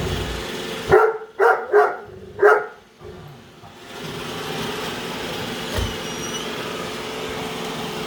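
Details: Great Dane Padme barking at a Roomba while following it around a home; four deep barks in a row, then the steady whirring hum of the robot vacuum fills the rest.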